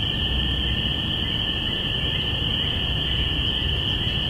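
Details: Spring peepers recorded binaurally on April 5, 2017, at the beginning of spring: a dense chorus of high peeps merges into a steady shrill ringing band. A fainter lower tone runs beneath it, over a soft low rumble.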